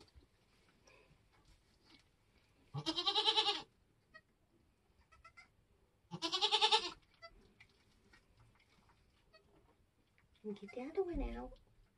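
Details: Nigerian goats being born on a homestead during kidding season: three separate loud, quavering bleats spaced about three to four seconds apart, the last one lower and more wobbling, with faint rustling in between.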